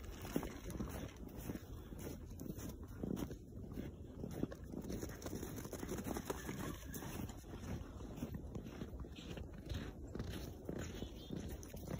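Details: Outdoor walk with steady wind and rumbling background noise, no animal calls audible.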